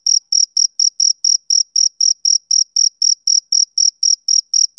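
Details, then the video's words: A male cricket chirps rhythmically on a summer evening. Crisp high-pitched pulses repeat about four times each second in an unchanging beat, with no background noise. "Cricket Chirping Sound Effect"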